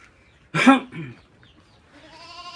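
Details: Goats herded out to graze on land next to a farmed plot: a short loud harsh burst, then a fainter wavering, nasal bleat with stacked tones building toward the end, over a quiet outdoor background.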